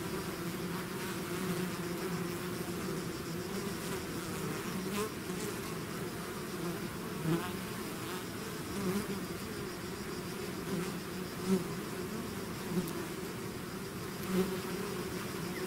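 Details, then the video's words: Bees swarming out of the hive give a thick, even hum. Occasional louder passes come from single bees flying close, roughly every second or two in the later part. "bees therapy swarm natural buzzing sound"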